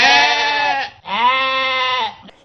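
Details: A domestic sheep (Ovis aries) gives two drawn-out, nasal bleats, each about a second long, with a wavering, buzzy tone.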